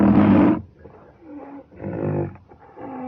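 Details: Rhinoceros giving a loud, harsh, rasping blast about half a second long, then softer, lower moaning calls with a faint wavering tone, repeated in short bursts.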